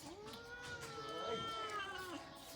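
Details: Cats waiting for food give a single long, drawn-out meow that rises slightly and then falls away, with quiet background sounds.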